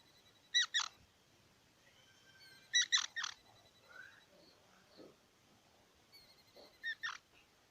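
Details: Squirrel giving paired, piercing chirps in three spaced bursts, with softer scattered squeaks and faint background hiss between them.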